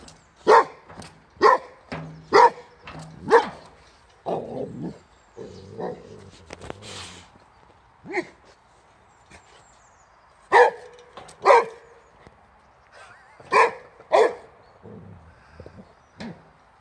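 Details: Adult Boxer Rex and puppy Sammie, then suffering from kennel cough, facing the wheelbarrow; two quick volleys of sharp barks separated by quieter scuffling and shuffling sounds, with rustling in between.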